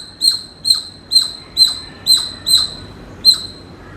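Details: A squirrel giving a run of short, high, squeaky chirps, seven in four seconds, each a sharp tonal note with a bright overtone, spaced roughly half a second apart over a faint steady background hiss.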